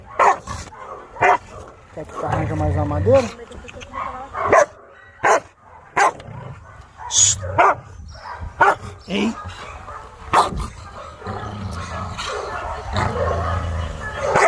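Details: Chow Chow named Maike arriving for dog training, her arrival described as chaos; short sharp barks repeat about once a second in a long series, with a man talking over and between them.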